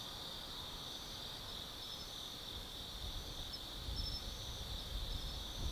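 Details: Forest insects of autumn calling at night at Tsukimi no Mori, Gifu, above the Nobi Plain; a sustained shrill buzzing layer with occasional short high trills, while low-pitched traffic noise grows toward the end.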